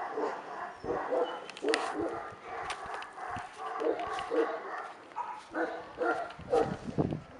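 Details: A male Tibetan Mastiff puppy giving a run of short, irregular barks and yips, some rough and some more tonal, spread across several seconds.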